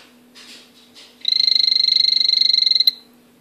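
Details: Owner's male azureus poison dart frog calling: soft rustles, then a single fast-pulsed, high, steady-pitched buzzing trill of roughly one and a half seconds, ending abruptly; low background hum throughout.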